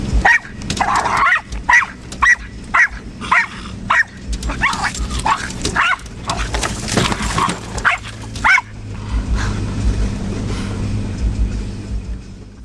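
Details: Pet dog Jasper takes on the job of protecting his people from trees, giving a fast run of short, punchy barks, bunching closer together and mixed with rustling near the middle, before stopping abruptly and leaving a steady low hum.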